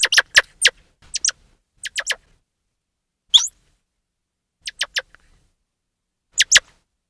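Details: Grey squirrel chirping loudly: short, sharp broadband clicks and chips, some in quick pairs or triplets, separated by silent gaps of a second or more, with one higher squeaky note near the middle.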